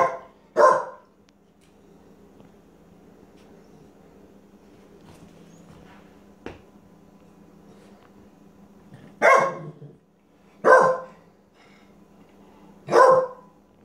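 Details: Penny, a pet dog, barks indoors when she wants something and is annoyed at not being understood: five loud, sharp barks, two close together at the start, then three more spaced a second or two apart after a quiet pause, with faint room hum.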